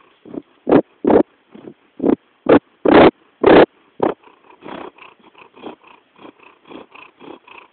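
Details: Jackson the cat purring close by, a steady rhythm of rough, pulsing breaths, about two per second, alternating louder and softer bursts that fade to a quieter, even purr in the second half.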